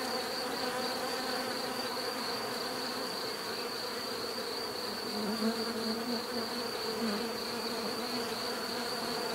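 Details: Massed bee buzzing forms an unbroken drone, with a nearer bee briefly louder and deeper about halfway through; a faint steady high whine persists in the background.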